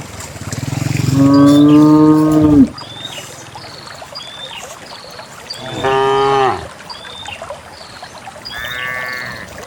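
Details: Cows of a herd of dozens heading to a green valley on a quiet country morning call in turn: a long, deep, steady moo, then a shorter bleating moo and a fainter higher one, with soft background rustle.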